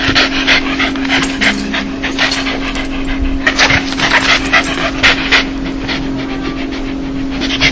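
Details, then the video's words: Joyful dog laugh, the sound a happy dog makes: quick huffing pants, about three per second and loosely spaced, over a constant background hum. "강아지웃음소리 강아지 행복할때나오는소리(the sound of a dog)"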